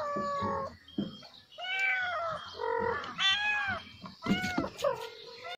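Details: Kitten giving a run of short, bent mews, several in close succession with brief pauses, clear harmonics and low background rumble.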